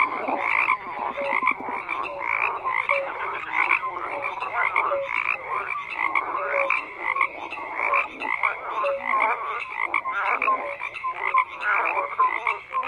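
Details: Many frogs croaking together in a dense chorus, overlapping rasping pulses between mid and high pitch with short tonal notes, steady and unbroken throughout.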